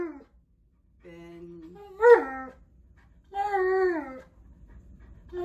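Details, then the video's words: Alaskan Malamute indoors in the morning, vocal and 'talking'; a few drawn-out moaning howls with wavering pitch, separated by short pauses. "Malamute Won't Stop TALKING!"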